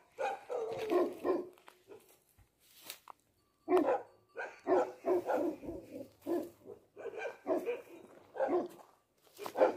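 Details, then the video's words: Resounding voice of a Bhote dog (Tibetan Mastiff): dense runs of heavy barks in rapid clusters, almost continuous, broken by brief pauses, with some low rumbling noise underneath. "भोटे कुकुरको आवाज कतिको गुन्जिन्छ ! What a resounding voice of a Bhote dog ! Tibetan Mastiff"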